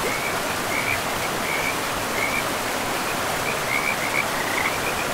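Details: Frogs in a pristine forest by a river, producing repeated short high trills spaced irregularly, partly buried under a dense, steady roar of rushing water.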